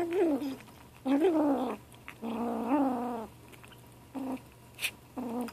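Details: A 7-week-old gray kitten named Ashe makes a sound at lunchtime, eating. It gives a run of warbling, rising-and-falling harmonic calls, some short and some over a second long, broken by brief pauses and a few soft clicks.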